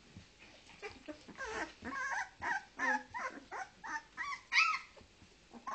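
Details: ['Two-week-old Leonberger puppies from a 2010 litter at a kennel in Norway, whimpering and squealing in a rapid overlapping series of short rising and falling cries, several pups calling at once.']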